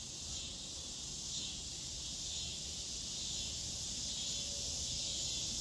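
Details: Neotibicen pruinosus, the scissor grinder cicada, producing an unbroken high, hissing buzz that swells slightly toward the end over quiet low-pitched background noise.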